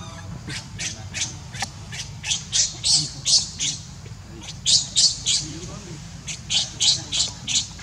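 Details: Baby monkey Leo, hungry and denied milk by its mother, cries in repeated sharp high squeaks, about three per second in uneven clusters separated by short pauses, with a constant low hum underneath.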